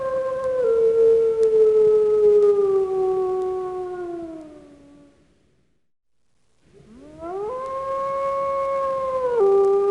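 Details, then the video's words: Wolf giving two drawn-out howls: the first pure and sliding gradually lower before fading, then near silence, then a rising howl that levels into a sustained clear tone with a brief step down at the end. "Wild Animal Sounds: Squirrel Bear Camel Wolf"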